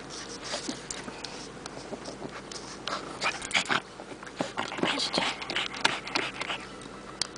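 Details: An 11-year-old Pekingese dog, a surrendered shelter dog in Richmond, British Columbia, Canada, resting in a car after a walk in the Terra Nova area; quick irregular panting and small mouth noises, with a woman's soft speech.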